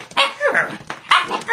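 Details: Husky puppy arguing with its owner, giving a few short, high yipping barks with rising and falling whines, about three bursts within a second and a half.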